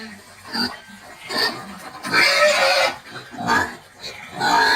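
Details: Pigs of a bristleless meat-and-lard breed weighing 100 to 150 kilos, giving uneven squeals and harsh cries, one longer scream near the middle between shorter bursts and quieter gaps.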